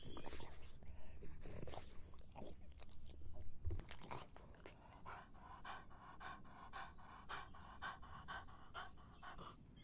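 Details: A dog drinking in hot summer: quick, wet lapping clicks repeated a little over twice per second, growing steadier in the second half after louder, muffled low rumbling at the start.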